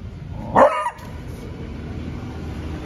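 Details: Seven-month-old male beagle kept as a guard dog, barking at a cow outside the gate of the home: one short, sharp, loud bark about half a second in, followed by low steady background hum and quiet.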